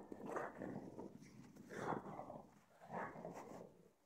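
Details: A freshly showered pug makes three short, throaty grunting vocal bursts, each about half a second long, spaced roughly a second apart.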